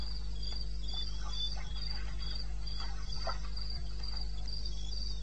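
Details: Night chorus of crickets from eastern Botswana's wilderness, captured at 2:30 AM on 21 May 16: bright, evenly spaced high chirps in short bursts with small gaps, set against a steady low droning hum.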